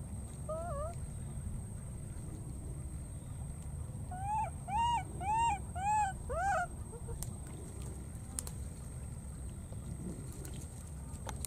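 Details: A lost-looking baby monkey in the wild, calling for its companion after crossing water: a wavering opening coo, then five arched, clear calls in a regular series about half a second apart, with low background rumble.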